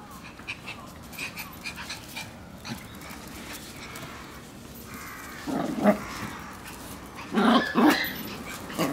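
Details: Three Shiba Inu puppies indoors on the morning they leave for new homes; after quiet scattered rustling, two short bursts of harmonic yelping whines come near the end, the second pair slightly higher and louder.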